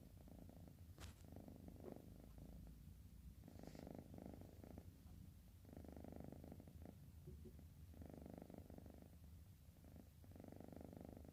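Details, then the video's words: A sleepy orange cat snoring softly, with rhythmic low rasping breaths in regular bursts of about a second each, separated by short pauses, in a quiet setting. "Ngorok !! Si Bocil, Kucing Oren Ngantuk."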